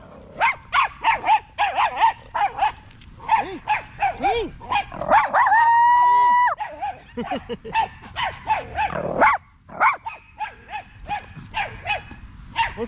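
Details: Evening park gathering of male Staffordshire Bull Terriers: rapid, choppy barks and yips, about three per second, broken midway by a long steady whistle-like tone before the barking resumes and trails off.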